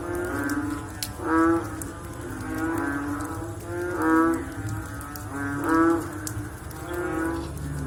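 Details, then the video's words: Frogs call after rain in a dense chorus of short, deep, lowing notes repeated about every one to two seconds. Several nearer calls stand out against softer background callers. "Sound After Rain With Sound of Frog / Bunyi Selepas Hujan Pakej Bunyi Katak"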